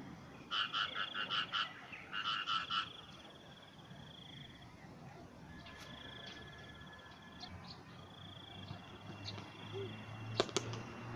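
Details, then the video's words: Frog calls at morning: two loud bursts of rapid pulsed croaks near the start, each about a second long, followed by softer drawn-out trills and faint clicks against low background rumble. "Relaxing with Frog Sound"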